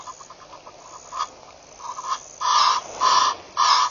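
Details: Baboons at a waterhole, Pete's Pond in Mashatu Game Reserve, Botswana, on the morning of 7 November 2013: soft, quick pulses at first, then three loud, harsh, drawn-out barks about every half second.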